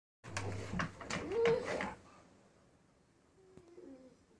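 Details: A Rottweiler and a Bulldog, excited while watching an RC truck in the yard, give a quick run of rough barks in a small, echoing space.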